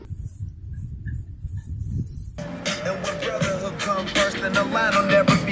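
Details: A low rumble gives way to upbeat music with a steady beat, and no animal calls are heard.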